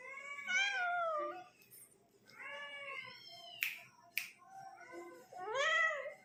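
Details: Kitten talking and yawning indoors: a falling meow, a pause, then a rising meow, two sharp clicks, and a final strained, upward-sweeping meow.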